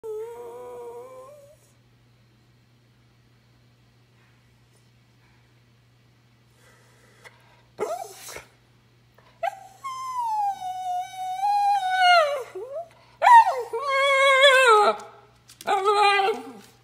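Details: Miniature red poodle, a pet dog indoors, barking loudly to demand treats despite not eating supper: a short whine, a pause, then a run of high, drawn-out, wavering yelping barks and whining howls with rich harmonics, loud and insistent.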